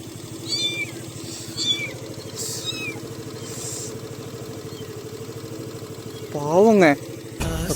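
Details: Four orphaned kittens left by a road in a dark forest area near a hospital in rural Tamil Nadu. Faint high meows come at intervals, then one loud, wavering meow near the end, over a steady vehicle engine hum.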